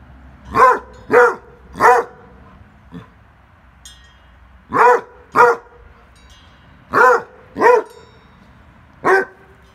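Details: Basset Hounds at play; one gives deep, loud barks in uneven bursts of two or three.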